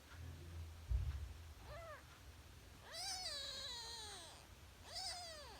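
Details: Kitten only three days old mewing: a short rising-falling squeak, then two longer, strained cries that drop in pitch at the end, with a soft thump and low background hum.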